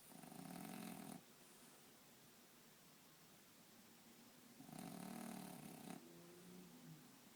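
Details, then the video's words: French bulldog in deep sleep, sprawled on a bed, snoring: a gravelly, vibrating snore, a quiet gap, then a second rattling snore that trails off into a softer, wheezy, tonal breath. "French bulldog snoring"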